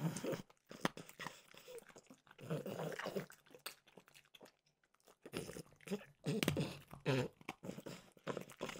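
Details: French bulldog Mimosa munching peanut butter flavored dog treats; crunchy chewing bursts, a quiet lull mid-way, then louder wet chomping resumes.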